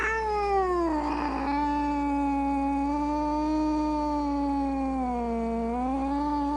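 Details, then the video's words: Loud, drawn-out cat meow lasting over six seconds, held at a fairly even pitch with a slow dip and recovery near the end. Rich in overtones, with a rougher, breathy patch early on. "Sounds of Cat Meowing and Kitten Meowing |Baby Cats Meowing |Cats Meowing Loudly"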